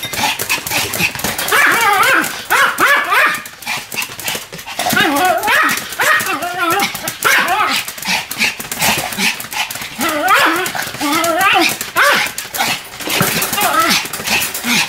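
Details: Duet barking from two Pomeranians named Sam and Marin: a dense stream of shrill, quick yaps mixed with higher, wavering whiny yelps, overlapping continuously and loud, close to the microphone.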